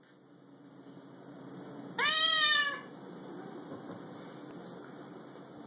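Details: Domestic cat indoors, annoyed after a recorded cat meowing was played to her, gives a single loud, drawn-out meow. It is rich and harmonic with a slight rise then fall and lasts under a second. It is set against a quiet room.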